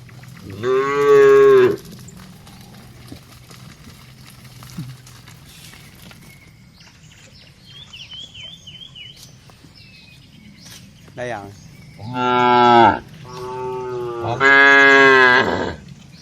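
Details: Tame cattle, dozens strong, walking cheerfully toward their shed; a full moo opens, a faint bird-like chirping sits in the quiet middle, then three more moos come in quick succession at the end.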